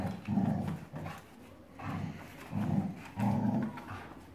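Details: Dogs Anastasia and Alexei playing tug-of-war: low, rumbling growls come in four rough bursts of about half a second each, separated by short pauses, with faint clicks and scuffs in between.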